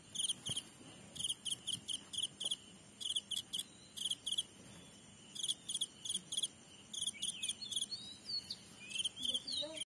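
A grasshopper stridulates in dry, raspy high-pitched bursts, grouped into quick rhythmic runs.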